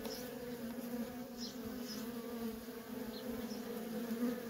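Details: A feral honey bee colony with worker bees constantly coming and going. Their wings make a continuous low, even buzz with a second humming layer above it, punctuated by a few faint, short high chirps.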